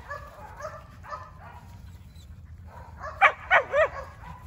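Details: Border Collie puppies, 49 days old, from a litter born 19 April 2022 to a German sire and Russian dam, filmed 7 June 2022: soft whines, then three sharp, high yelps in quick succession near the end.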